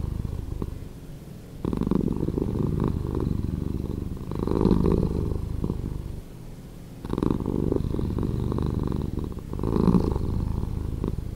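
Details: Deep purring from a cat, edited slower, rolling in long cycles: a soft murmur, then a strong rumbling swell lasting several seconds, a quieter lull, and another long loud surge.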